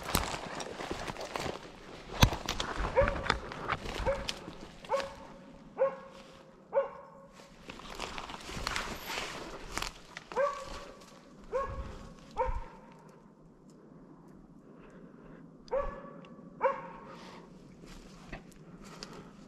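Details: Slovakian hound named Arrow baying at wild boar during a driven hunt in Sweden, November 2022: clear tonal barks in uneven bursts, several in quick succession then pauses, with rustling footsteps and brush noise early on.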